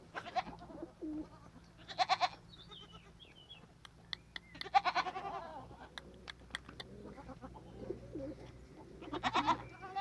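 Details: Farm goats bleating: three harsh, quavering bleats rise out of a quiet background, the first near two seconds, the next around five seconds and the last near the end, with faint high chirps and scattered clicks in between.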